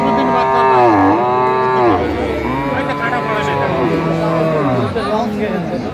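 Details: Improved-breed dairy cows and calves at Aftabganj market, Dinajpur, on 19 December 2024: loud, deep bellowing moos, the first dipping then rising over two seconds, followed by several long lowing calls, with background music and murmuring voices.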